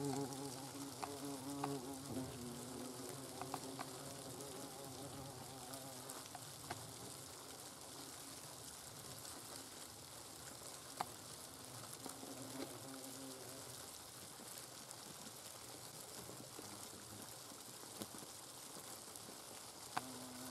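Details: Steady, low hum of hornets at their nest over twenty seconds, rising and fading slightly, with dense crackling and occasional sharp clicks from insects moving about.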